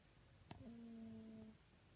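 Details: A sleeping Toy Poodle gives a soft, whistling snore, one steady low hum after a faint click; the owner suspects a past injury left its nose bad.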